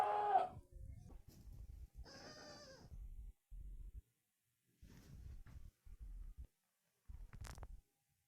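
A goat gives a wavering, nasal bleat amid low thumping and rustling noises.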